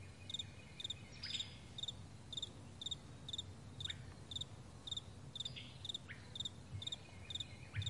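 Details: High doubled chirps from meadow crickets in the morning, evenly spaced about twice per second, joined by occasional short rising bird notes over a quiet low background.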